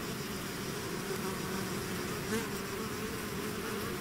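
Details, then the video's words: Steady swarm drone from bees that have left the hive; a brief louder buzz swells near the middle as one bee sweeps close past the microphone, then the even hum resumes. "bees therapy swarm natural buzzing sound"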